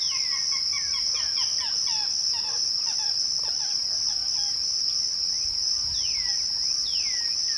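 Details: Evening crickets keep up a steady high-pitched ringing. Over it, birds give a dense burst of quick chirps and falling whistles, then a few longer swooping notes near the end.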